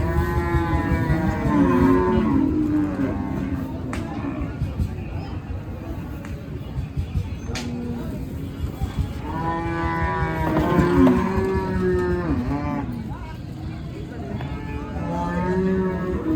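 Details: Deshi cattle arriving in the morning at a busy cattle market, back from Dhaka and being unloaded; two long, deep harmonic moos rise and fall near the start and again midway, over steady crowd and vehicle noise.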